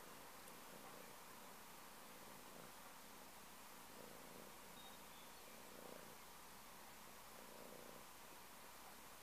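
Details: A house cat purrs steadily: a low, even, throbbing rumble that never breaks across the whole stretch, very soft, over a light background hiss with a few faint rustles.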